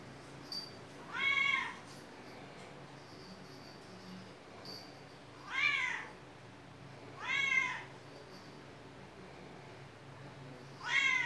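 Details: Domestic cat with a squirrel-like tail giving four separate arched meows, each about a second long and spaced two to four seconds apart, over a quiet background hum in a still room.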